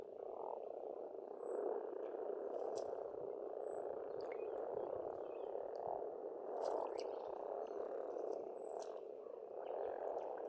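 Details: Frogs crowd a spring pond in Estonia with a dense, rolling chorus of croaks that swells and fades. Birds add brief high whistles and sharp clicks throughout.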